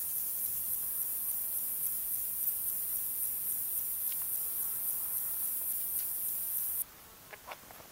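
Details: Male fat-bellied saddle bush-cricket (Pycnogaster jugicola) calling in the Sierra de Guadarrama on 12 July 2019: a very high continuous hiss with regular faint pulses, stopping abruptly near seven seconds, followed by a few soft ticks.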